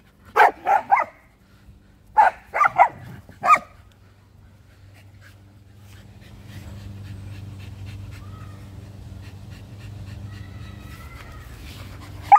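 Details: Barking from a Samoyed, Luma, and a young Keeshond, Zuko, chasing around a yard in winter; clustered barks in the first few seconds, then a long stretch of low background hum before one last bark.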